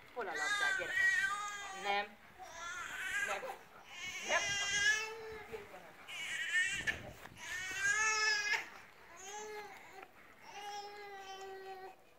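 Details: Főnix, a fifteen-month-old female Šarplaninac, gives a series of high, wavering whines and yelps in bursts of one to two seconds, separated by short pauses, heard close by.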